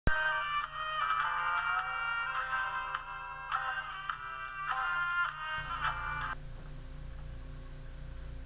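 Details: Bright electronic ringtone-style melody with repeated tones plays for about six seconds, then gives way to a low hum; no animal sound.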